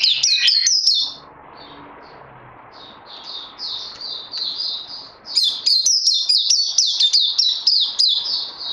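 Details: White-eye, locally called Puteh, singing during post-Covid-19 training on 18 May 2020. Loud rapid twitter opens, drops to softer repeated sweet notes, then swells into dense, fast chattering warble.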